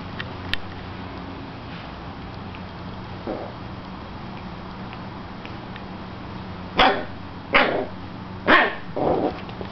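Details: Hero, a puppy aged seven weeks and five days, attacks a slipper: after a quiet stretch of faint rustling come four sharp high yipping barks in quick succession near the end, each under half a second.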